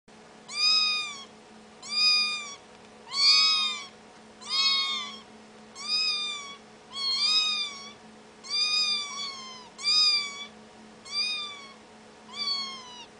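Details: Kitten meowing in a steady series of about ten rising-then-falling calls, roughly one every 1.3 seconds, bright and harmonic-rich, over a faint constant low hum.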